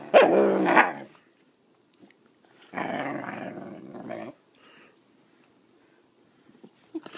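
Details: A female puppy being taught to bark on command gives a loud, rough bark, then a longer grumbling bark-growl after a pause.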